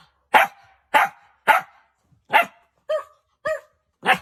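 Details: Puppies giving seven high, sharp yapping barks at a steady pace of roughly two per second, some with a slightly whiny, tonal edge.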